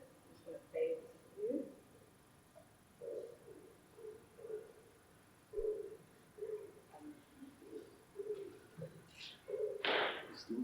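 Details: Wild common bottlenose dolphin gives low-frequency narrowband moaning calls, repeated in short bursts; a little-known call type, produced at very low rates in this population.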